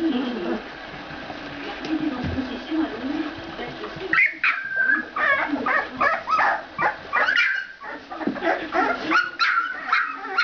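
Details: Ca de Bou pups, two weeks old: a quieter low murmuring start gives way after about four seconds to a burst of shrill yelps and whining squeals from several puppies, rapid and irregular.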